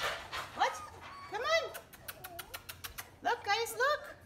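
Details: German Shepherd puppies, three weeks old, in a litter just starting to walk and open their eyes, give short arched whimpering whines in two bursts, rising then falling, among clicks, soft bumps and a woman's voice.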